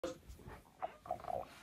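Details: Siberian Husky throwing a grumpy temper tantrum in a beanbag bed, wanting attention; short whiny, grumbling vocal bursts with a person's voice nearby.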